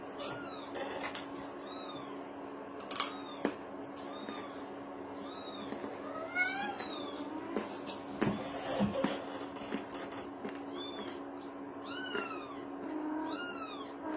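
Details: Kitten mewing repeatedly: high, thin, arched meows, each rising then dropping, given every second or two throughout, with a constant low hum and occasional soft knocks and rustles in the room.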